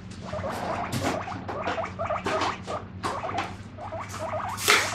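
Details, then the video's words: Pet guinea pig repeating rapid squeaky "pui pui" calls, roughly three clusters per second, while dishes are washed; sharp clanks of crockery and a faint steady hum run underneath. "お皿洗ってるとプイプイ鳴くモルモット PUI PUI Guinea Pig"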